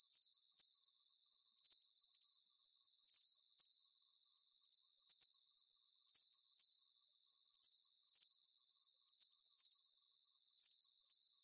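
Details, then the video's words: Crickets offered as a calming nighttime sleep soundscape: high, pulsed chirps in a steady, even rhythm, each burst a quick run of clicks repeated without pause, with no other sounds and nothing in the low range. "Calming Cricket Sounds"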